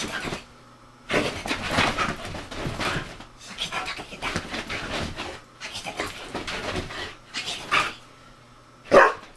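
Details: Retired racing greyhound in bed, making breathy, huffing bursts in loose rows about a second apart, with short quiet pauses between groups, ending in one brief, sharp, squeaky note.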